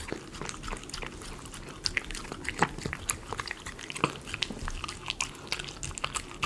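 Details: Miniature Schnauzer eating chicken pot pie premium dog food, recorded close up for ASMR: dense, irregular wet clicks and crunchy snaps scattered through, with a few sharper bites standing out near the middle.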